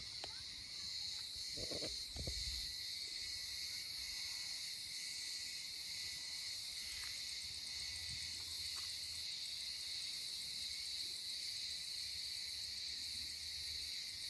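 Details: Cicadas sing in a steady, shrill, unbroken drone filling the air, in summer olive groves around a village on Rhodes, Greece.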